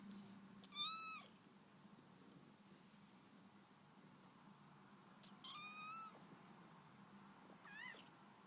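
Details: Female kitten making cute little sounds as she yawns: three short, high, squeaky cries with stacked overtones, each bending upward then trailing off, spaced about two to five seconds apart over a faint low hum.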